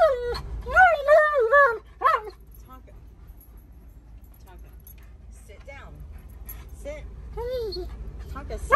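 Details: Alaskan Malamute named Tonka complaining and refusing to sit and wear his seatbelt; loud wavering, whining woo-woo vocalizations rising and falling over the first two seconds, then quieter murmurs beneath a woman's voice telling him to sit.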